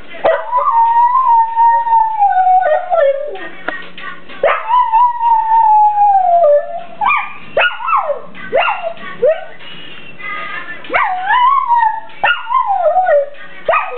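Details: A kelpie howls along with a ringing phone ringtone: long wavering sustained howls that sag slowly in pitch, then shorter rising-and-falling yelping howls, with the ringtone melody playing throughout.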